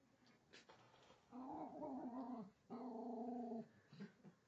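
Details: Remix, a rescued female Jack Russell mix about 4.5 years old, growls at a toy train on a track under the Christmas tree during her first Christmas; two long sustained rumbling growls, the second after a short pause, with faint clicks around them.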